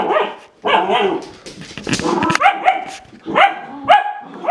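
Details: Red Standard Poodle dam scolding her puppies as they play; harsh growling bark bursts followed by sharp rising yips from several dogs in quick succession.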